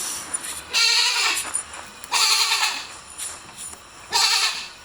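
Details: Three strained, quavering goat bleats spaced roughly every one and a half seconds, each loud and buzzy, with softer bleating and faint rustling between them.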